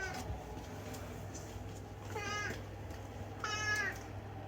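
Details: Chatty rescued house cat making two short meows about a second apart, the second brighter and slightly rising, against a constant low indoor hum.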